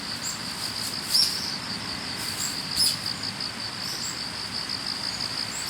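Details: Autumn-morning chorus of grass insects heard on the way to work: a continuous high, slightly pulsing shrill note, with two brief bird chirps breaking in.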